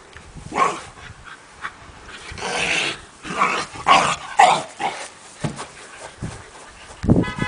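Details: A Basenji in Bologna, Italy gives short, irregular yips and yowling bursts, roughly two a second.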